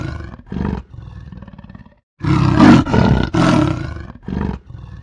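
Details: A leopard in the jungle gives deep, rasping roars and growls in loud bursts.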